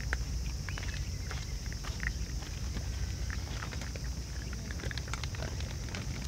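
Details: Raccoon dogs, a whole family feeding side by side, make sharp crunchy snaps and brittle crackles in quick uneven bursts, over a constant low hum, with one faint thin whistle early on.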